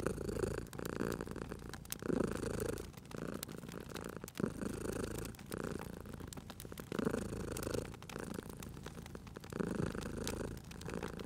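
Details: Low, continuous purr of a sleeping cat at a fireplace, breath-timed swells recurring roughly every one and a half to two seconds, with crisp crackling of the fire popping steadily in the background.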